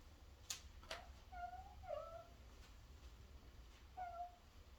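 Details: Fourteen-year-old senior Miniature Dachshund giving an odd, fur-seal-like cry as its owner returns home; soft, bent tonal whines with a slightly falling pitch, about three calls over a few seconds, plus a sharp click in a quiet room.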